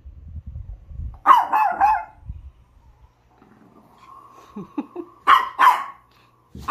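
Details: Chihuahuas in a multi-dog household, Onii-chan and Wolf: a pair of bright yaps, a faint steady tone with soft thumps, then two more sharp barks and a final yap at the end.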